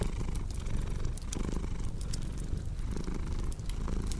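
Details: Cat purring steadily, a low vibrating drone rising and falling with each breath, while a crackling fireplace snaps and ticks in the background throughout.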